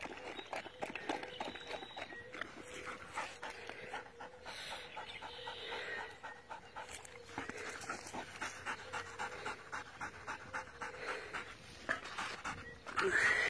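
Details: A Doberman Pinscher pants fast and evenly, about four breaths per second, in a recording about spotting dehydration in dogs; soft breathy rhythm continues throughout, ending with a short bright squeak.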